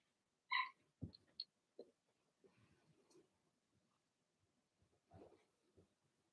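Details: Blenheim Cavalier King Charles Spaniel puppies from Remy's first litter of six, whelped March 7–8, in an indoor puppy pen: one sharp, high, ringing yip near the start, then soft snuffles, short grunts and faint whimpers in a quiet room.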